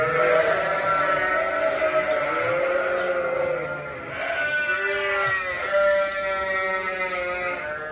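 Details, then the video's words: Barn flock of sheep with two-week-old lambs, noisy when people enter: continuous overlapping bleats, some high and quavering, others lower and shorter, rising and falling in pitch with hardly a pause. "How loud are sheep?"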